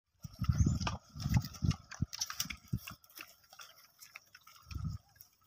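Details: Wild boars give deep, low, throaty grunts in quick bursts, some blurring into a rough rumble, with crunching and snuffling as they eat green food in the wild; crackling, snapping and a faint high hum behind.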